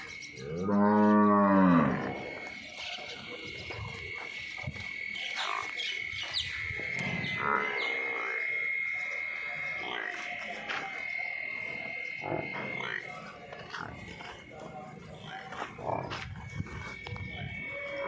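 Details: Nili-Ravi buffalo offered for sale in Punjab, Pakistan: one loud, deep, richly harmonic bellow of about a second and a half at the start, followed by quieter background voices, clatter and a steady hum.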